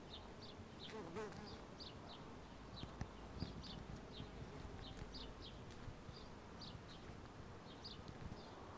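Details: Crowds of bumblebees working a blooming wisteria tree in Southern California springtime, making a continuous deep buzzing drone, while small birds chirp in quick high notes, roughly two per second, over the hum.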